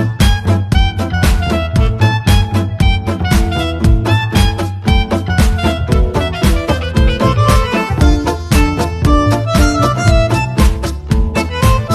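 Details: Lively swing-style music with fiddle and steady rhythmic beats throughout, and no animal sounds.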